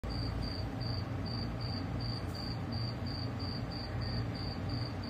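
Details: Cricket. A cricket chirps at night, giving a high, thin trill in short regular pulses about twice a second. A low rumble of distant traffic or wind runs underneath throughout.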